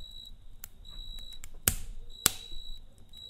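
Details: A cricket trilling at night by a campfire: brief high-pitched buzzing pulses, with two loud crackling snaps from the flames in the middle.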